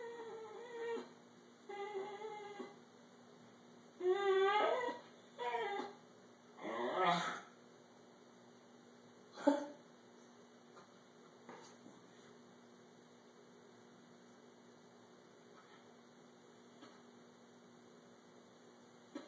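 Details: Thirteen-year-old male Italian Greyhound indoors, vocalizing at his owner as if talking, upset that the blanket was taken; a run of short wavering whines, then longer rising and falling moans around seven seconds, followed by quiet room hum.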